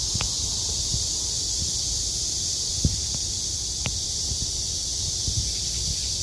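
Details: Summer cicada chorus at Haguicheon stream among trees: a continuous shrill buzzing hiss fills the background while scattered sharp clicks and soft knocks break through now and then.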